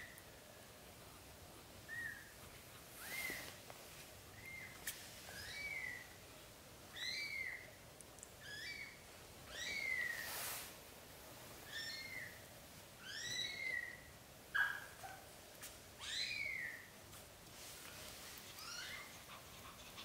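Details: British Shorthair cats, black golden, with newborn kittens as the mother carries them into a small nest she prefers over a large bed; short, high arched mews come every second or two, fairly faint over a steady background hiss.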